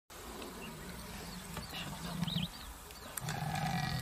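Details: A leopard at night near Mukteswar, Nainital, Uttarakhand gives two deep, drawn-out rumbling growls against a hissing night background.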